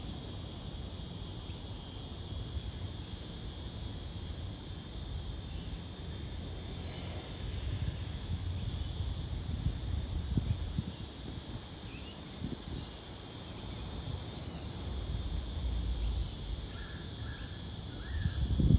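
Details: Brown bunyip cicada calling, a find from 3 February 2023: a continuous, monotonous, high droning buzz held steady without any crescendo, over low rumbling background noise.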